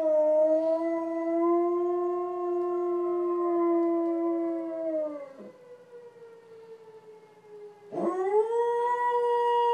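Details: Pet dog howling at police sirens: a long sustained howl of about five seconds, steady then slowly falling, a short pause, then a new howl rising sharply and holding.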